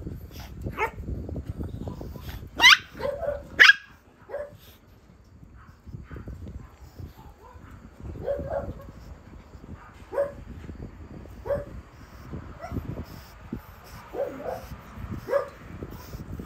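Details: A plump-bellied pug, kept with a poodle of about 2 kg, gives short, sharp barks at irregular intervals, two louder ones standing out early on.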